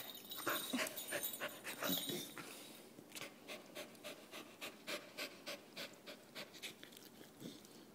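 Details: Panting from playing dogs, a Jindo and an Australian Shepherd named Jin and Wriggles; after early rustling and a brief voice, quick, regular breaths repeat about four times per second, steady and breathy.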